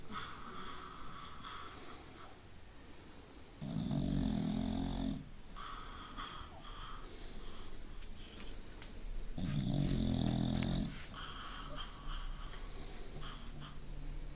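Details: Sleeping dog snoring loudly, long low rasping inhales roughly every six seconds, each lasting over a second, with softer breathing and faint higher hiss between them in a quiet indoor space.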